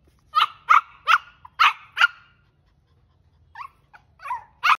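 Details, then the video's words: Stubborn Shih Tzu puppy in an angry fit, barking five times in quick succession, pausing, then adding softer yips and one final sharp bark. "Ziddi Shih Tzu (Shiro) Kya to Gussa karta hai"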